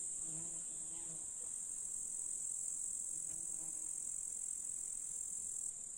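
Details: Grasshoppers in a July meadow of the Russian countryside, near hills and a lake, give a steady, high, hissing buzz that runs without a break.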